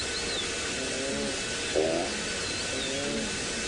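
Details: Blue wildebeest in the Masai Mara give nasal, honking grunts, several overlapping in short bursts, at sunrise after rain, responding to lions roaring all around; steady hiss, faint bird whistles and chatty frogs behind.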